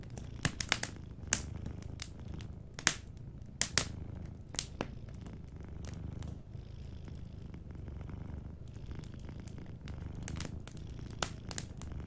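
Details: Soft purring of a sleeping cat in a cozy fireplace setting: continuous deep pulsing rumble underneath, with clusters of loud fire crackles early on and scattered snaps later.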